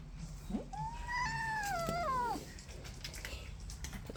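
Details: Newly arrived kitten, upset and disliking the other cats, gives one long drawn-out meow that rises slightly and then falls away, with a clear harmonic tone, in a small indoor room with soft background music.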